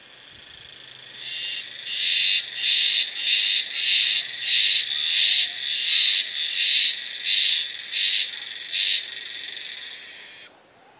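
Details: Early-summer cicada chorus calling only in this spot, mistaken from a distance for frogs. Shrill, high buzzing beats in regular pulses about every half second, then continues steadily before stopping abruptly.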